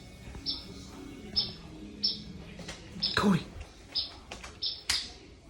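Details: A small clouded forest gecko kept in a reptile room calls at night with short, high, canary-like chirps, repeated roughly every half-second to second, over a low hum with brief murmured voices.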